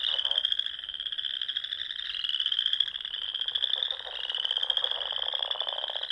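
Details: Frogs singing in spring at dusk among ponds in the rolling dunes of Nebraska's Sandhills: a dense, continuous high trilling chorus with steady shimmering pulses, joined by lower rapid pulsed croaks near the start and end.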